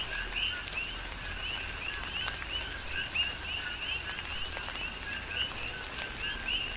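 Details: Many coqui frogs calling through a rain shower, Big Island, Hawaii; high upswept two-part chirps stack densely with some louder nearby calls, against continuous rain hiss and sharp drip sounds.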